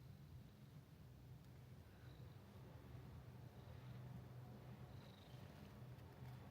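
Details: Friendly domestic cat at Minshuku Nozaki, a hot-spring guesthouse near the sea in Ito Onsen, Shizuoka, Japan, purring steadily: a low, continuous rumbling throb with faint higher tones drifting above.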